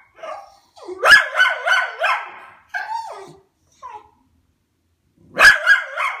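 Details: A white Miniature Schnauzer perched on top of a sofa grumbles and yowls in rising, wavering tones, broken by sharp barks, as it growls and "talks" at neighbours coming home.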